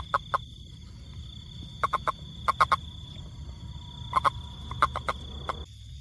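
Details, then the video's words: Toad calling in short clicking bursts, single or paired pulses centred in the mid range, grouped in clusters of two to four every second or so, over a steady low rumble and a faint high whine. "Wonderfull Sound #toad"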